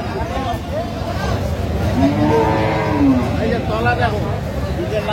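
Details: Improved-breed dairy cow at Aftabganj cattle market in Dinajpur, recorded 17 June 2025; a long arched moo near the middle rises and falls over about a second, set against steady crowd murmur and speech.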